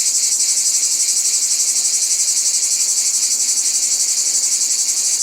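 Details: Cicada sound in nature, a piercing high electric-like buzz with quick regular pulses, unbroken and even in loudness from start to finish.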